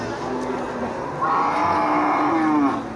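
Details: A short cattle moo, a sustained harmonic tone lasting about a second and a half, rising slightly before trailing off, amid low murmuring voices.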